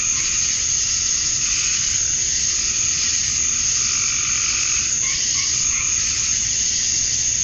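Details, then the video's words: At summer dusk in Georgia, USA, male cicadas chirp to draw females, forming an unbroken shrill buzzing wall. Lower pulsed croaking calls, like frogs, rise and fall through it, stronger near the end. "Cicadas at Dusk, Summer Night"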